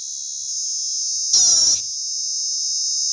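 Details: A Sri Lankan cicada gives a steady, shrill, high-pitched buzz, unbroken from start to finish.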